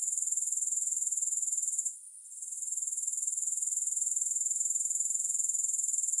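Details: Grasshopper chorus without music: a steady, shrill, finely pulsed trill, interrupted near the two-second mark by a short, quieter dip before continuing unchanged.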